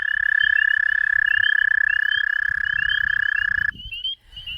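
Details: An American toad gives a sustained, even, sweet trill on one pitch for nearly four seconds, then breaks off, with short rising chirps from other frogs, including spring peepers, in a backyard on a full-moon spring evening.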